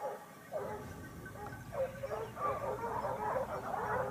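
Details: Hunting pack of Basset Hounds, Topsfield Lebrera, Spain, 2015-16 season, second year in the field: quiet start, then a rising chorus of overlapping bays and yelps from several hounds, growing denser toward the end.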